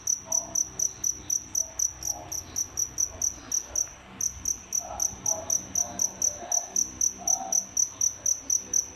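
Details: Captive crickets, a pair kept indoors as fish feeders, giving a run of high, shrill chirps roughly twice per second, briefly pausing midway before resuming at the same pace; faint room hum beneath.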